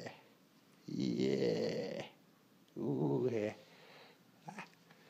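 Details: Pet dog trying on a harness, finding it exciting and a little scary; two drawn-out, moaning, harmonic vocal sounds about a second each, separated by a pause, then a faint short noise in a quiet room.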